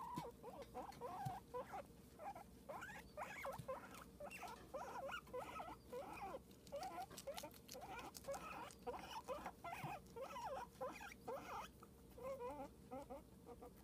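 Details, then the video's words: Cosmo, a pet guinea pig, squeaking in a steady stream of short rising-and-falling chirps, closely spaced and repeated throughout with little pause, over a faint steady hum. "Cosmo, you left me too soon, you little guinea pig squeak toy."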